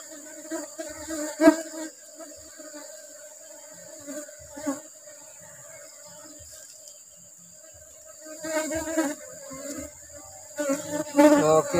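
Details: Apis cerana colony humming during a honey harvest in rubber-blossom season: an even, low buzzing drone with a clear overtone, swelling toward the end, with scattered taps and bumps from frame handling.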